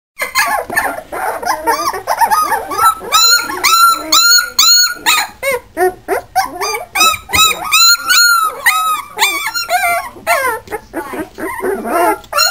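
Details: Hungarian Vizsla puppies, recorded April 27, 2011, whine and yelp in high, rising-and-falling cries, several overlapping.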